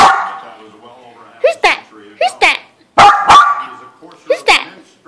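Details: A male Silky Terrier gives sharp, high yapping barks in quick pairs, answering a dog barking on the TV.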